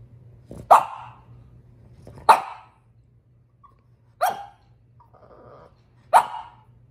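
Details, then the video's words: French Bulldog, female, upset about her toy, giving four sharp single barks spaced about one and a half to two seconds apart, with a soft grumbling whine between the third and fourth bark and a steady low hum underneath. "French bulldog is upset about her toy"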